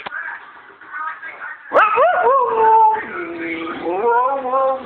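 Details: Siberian Husky (Canis lupus familiaris), talking vocalization: speaking on command to ask for a treat.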